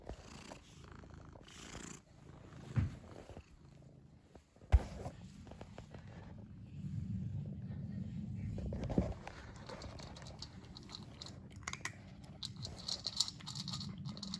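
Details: Domestic cat purring up close in a layered ASMR recording: a low, steady rumbling purr swells through the middle, with handling bumps, rustling and soft brushing noises around it.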